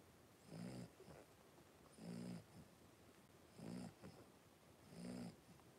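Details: Five three-week-old blenheim Cavalier King Charles Spaniel puppies wrestling at play in their pen; four clear, deep, throaty grunt-growls roughly every one and a half seconds, each with a short softer huff after it.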